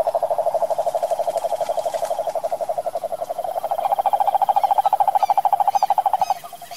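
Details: A cane toad (Rhinella marina) in Curitiba, Brazil, calls in one long pulsed trill, a low buzzy rattle holding its pitch and rising slightly partway, with faint high chirps in the background near the end.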